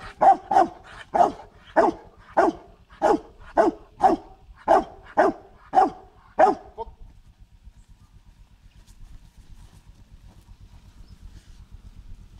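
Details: Dog named Marshal von Hause Sommer during protection training on 8 September 2014, outdoors; loud deep barks repeated roughly twice a second for about seven seconds, then stopping, leaving a low background rumble.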